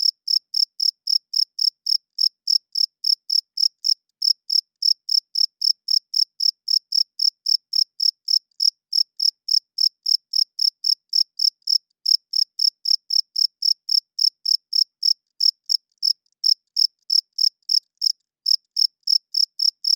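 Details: Crickets chirping loudly at night, males calling to attract females and establish territory; a steady train of short, high-pitched pulses repeated about four times a second over a silent background, with a few brief gaps.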